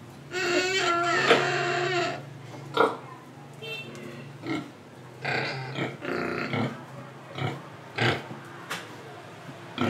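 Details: Pigs in Indonesia give a run of loud, harmonic squealing oinks for about two seconds, then short grunts and snorts repeated irregularly, with breathing between them.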